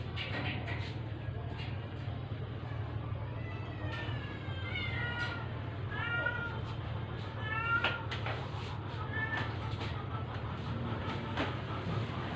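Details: Sick, dying stray cat, rescued and being force-fed so it can survive, giving a series of thin, high mews that slide downward, scattered irregularly across twelve seconds over a steady low hum, with a few soft clicks between calls.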